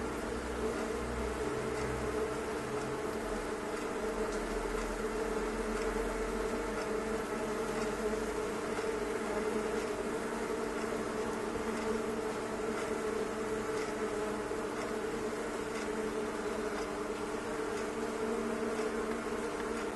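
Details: Honey bees by the thousands packed inside a fireplace stove, giving a continuous, even, low droning buzz that fills the enclosed space without pause.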